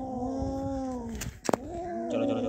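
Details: Kaallu and Motu, pet cats that caught a big mouse; a sustained low harmonic yowl, cut by a sharp noise burst, then resuming with wavering pitch and faint background music.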